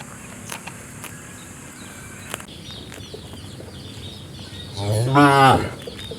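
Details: Single short cow moo near the end, harmonic and slightly falling, after several seconds of faint background noise and scattered clicks.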